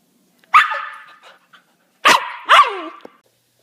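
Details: Close, clean dog barking: one long bark that trails away, a pause, then a quick double bark whose tails fall in pitch.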